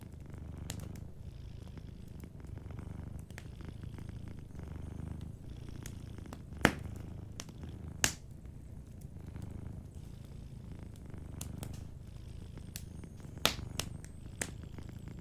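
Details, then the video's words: Gentle low purr of a sleeping cat, throbbing in slow breath-length swells under fireplace ambience, with frequent crackles and several loud snaps from the fire. "Warm Fireplace Ambience with a Sleeping Cat 🐱💤Fireplace & Soft Purring"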